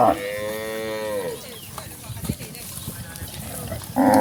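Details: Cattle of a village herd heading from pasture to the barn: one long, slightly falling moo over a second long, then quiet shuffling, and the start of another loud moo at the end.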